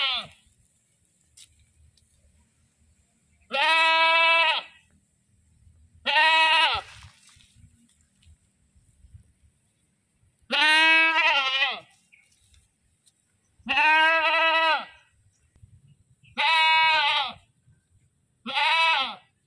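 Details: Goat screaming repeatedly, six loud, nasal bleats of about a second each, arriving every two to three seconds, some slightly falling in pitch, with soft background rustles between calls.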